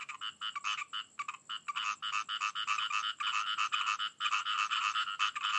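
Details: A dense frog chorus: loud, rasping croaks pulse rapidly and unevenly, several callers overlapping into an almost continuous rattling din with only brief gaps, nothing else audible.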